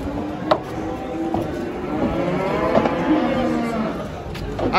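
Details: Simmental heifer from a livestock market, handled while being loaded onto a truck; a drawn-out, low lowing moo runs across the middle seconds, overlapped by men giving instructions and brief knocks.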